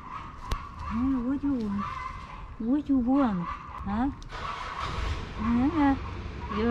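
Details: Hungry fluffy male cat among Istanbul's stray cats, begging for food: a run of short arched, wavering meows, several in quick succession with brief pauses, while a person talks to him over a low background rumble.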